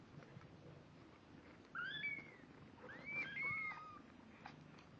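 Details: Two-week-old kittens, eyes newly open and just starting to walk, give high thin mews: a short rising-falling cry, a pause, then several overlapping wavering mews from more than one kitten, over a soft low indoor hum.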